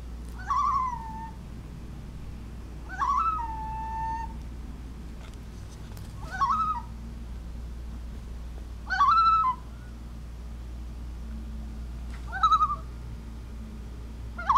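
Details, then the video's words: Alaskan Klee Kai, a pet dog, reacting to odd sounds from a computer and growing frustrated; short rising-falling whines or yelps roughly every three seconds, five bursts, with steady low hum behind. "Confused Kiwi Hears Strange Sounds"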